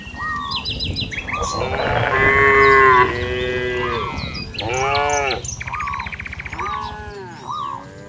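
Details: Cattle roaming a village field, calling companions to return to the barn: several overlapping harmonic moos, some rising and falling, with chirping birds above and a low rumble underneath.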